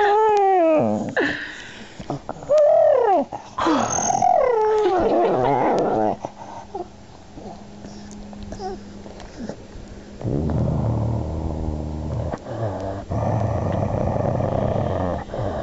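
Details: Amber, a pet dog, "talking" when angry: harmonic whines that rise and fall in pitch, followed by low rumbling growl-like vocalizing, indoors with a woman's voice nearby.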